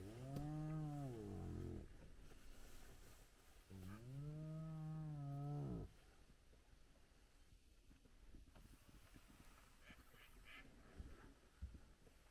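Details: Spotted hyenas, a large clan at their den site with very active cubs, heard at sunrise. Two low, droning moans arching up and down, each about two seconds, followed by quieter background rustle and faint distant sounds.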